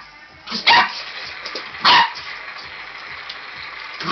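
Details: A playful Border Collie puppy, a red merle tricolour born in 2013, barks at a robot dinosaur toy. Two short, forceful barks about a second apart rise above constant mechanical hum and faint music-like tones.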